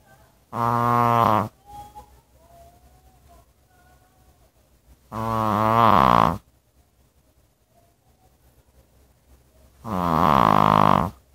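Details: Sleeping dog snoring: three loud, harsh, buzzy rasps, each about one second long, come roughly every four and a half seconds, with quiet breathing between them.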